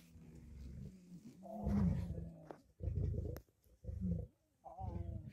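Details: At a kill, lions, lionesses and cubs fight over food by hierarchy: tonal moaning whines, then a run of four harsh, low, rumbling snarls of half a second to a second each, separated by brief silences.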